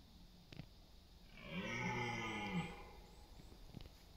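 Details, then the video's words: Single deep, drawn-out roar lasting about a second from a red deer stag in the autumn rut, East Serbia, late September, as stags compete for dominance and mates in meadows and forest; faint clicks before and after. "Roar of the Wild: Deer Rutting Season in Serbia’s Autumn Forests"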